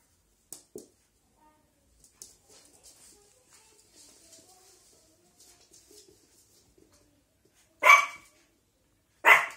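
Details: A Shih Tzu puppy gives two sharp, high, yappy barks at a pile of clothes after a stretch of quiet rustling.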